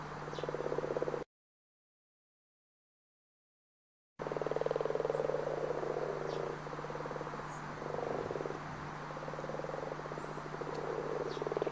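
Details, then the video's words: Frog chorus from the Pantanal, Brazil: rapid pulsed croaks about three per second, blending into a dense rattling drone, broken by a short silent gap early on; a constant low hum and faint high chirps sit in the background. "som de sapo boi - som do sapo-martelo - barulho de rã - som dos animais - coaxar do sapocururu"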